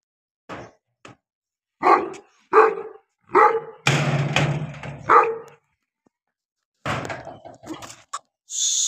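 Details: Pakistani Bully dog (Bully Kutta) giving loud, rough barks in irregular bursts, about six over nine seconds, mixed with a dull thudding knock and a burst of broad noise near the middle.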